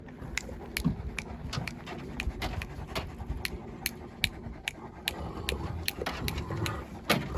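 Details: Kangal shepherd dog out on an off-road safari walk in Turkey, panting rapidly with quick regular breathy puffs about three per second, sharp clicks and rustling around it.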